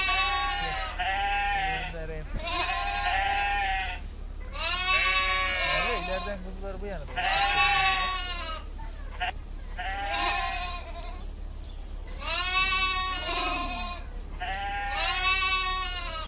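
A lamb bleats repeatedly, each high, wavering cry lasting about a second.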